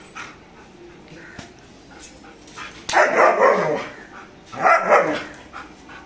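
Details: Aggressive German Shepherd guarding: quiet background with faint yips, then two loud bursts of harsh, rapid barking separated by a short pause.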